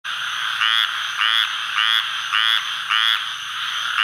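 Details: A male Squirrel Treefrog (Hyla squirella) calls in the Atchafalaya Basin, south-central Louisiana, on July 11, 2013, giving short, raspy, duck-like notes repeated about twice a second.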